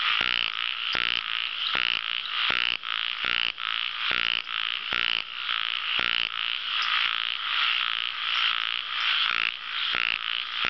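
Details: Ornamented pygmy frogs in a dense chorus of buzzy, pulsed croaks that overlap almost without pause, with roughly seventy-five calls a minute. Several callers seem to be calling together.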